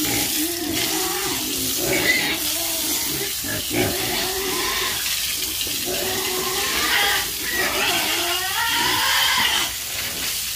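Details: Farm pigs give throaty grunts that rise into short, nasal squeals toward the end, set against steady splashing water.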